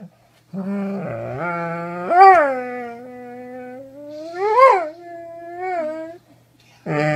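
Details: Doberman howling indoors in long, rich tones that swoop upward in repeated peaks, a roughly two-second rise-and-fall pattern, ending in a pause and a fresh low onset.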